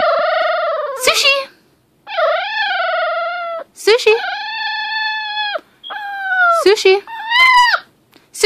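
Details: Sushi, a 6-week-old female American Pit Bull Terrier puppy, talks indoors in long drawn-out howling whines that rise and fall, several in a row with short gaps, while a woman repeatedly calls her name.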